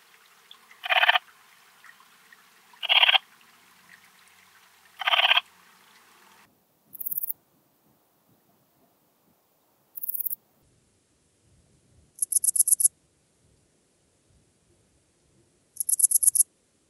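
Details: Eastern Mountain Bush-cricket (Antaxius difformis) singing at Timmelsjoch, Italy, on 26 August 2022: short raspy chirps about every two seconds, then higher, thinner chirps and rapid pulsed buzzy bursts with silence between.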